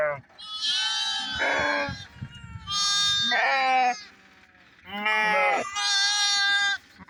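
Bighorn sheep giving a series of wavering, nasal bleats, each about a second long.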